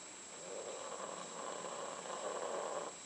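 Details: Snoring from Candy and Frank, family pet dogs asleep during their last days: one drawn-out, raspy inhaled snore lasting over two seconds, with a thin steady electronic whine behind it.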